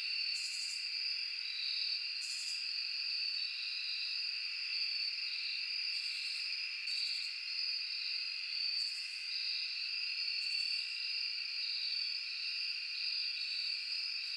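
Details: Crickets with cicadas and other insects in a forest at night: a steady, dense high buzzing and trilling chorus on several constant pitches, with brighter high pulses returning roughly every two seconds.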